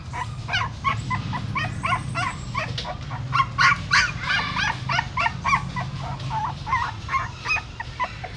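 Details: Female dog in Siem Reap moving newborn puppies by mouth out of a pagoda stupa. Dense run of short, squeaky whimpering yelps, several per second, over steady low rumble.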